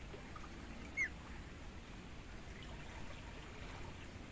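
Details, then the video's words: Crickets recorded in a natural mangrove forest, offered as training sound for songbirds: a steady, very high, unbroken insect trill runs throughout, with one brief faint bird note near the start. "Suara Jangkrik buat Masteran Burung"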